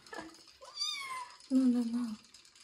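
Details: Kitten Joe, bathed for the first time and treated for fleas before moving to a new home, gives a brief falling meow amid a person's soothing speech, followed by a low drawn-out voiced sound, in a small indoor room.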